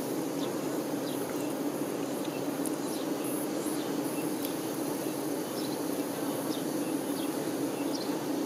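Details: Worker honey bees attending the queen produce a continuous crowded drone, an even low-pitched hum without pauses, overlaid by a few scattered faint high ticks and short chirps.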